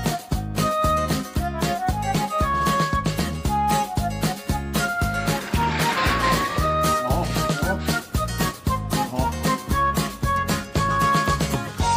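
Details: Upbeat music with a flute-like melody over a steady, bouncy beat plays throughout. No animal voices can be picked out.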